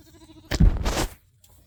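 A goat gives a short, coarse bleat lasting about half a second.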